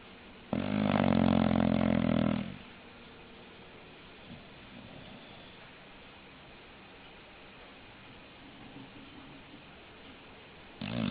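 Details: English bulldog snoring: one loud, rasping, harmonic snore of about two seconds, followed by quiet breathing and the start of another snore at the end.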